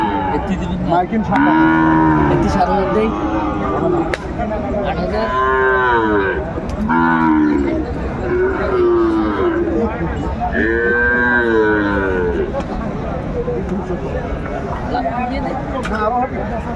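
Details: Sahiwal bull calf at a cattle market, bought by a farmer from Faridpur, Bangladesh, in December 2024: several drawn-out, wavering moos with rich harmonics, one after another, over steady crowd noise and bargaining voices.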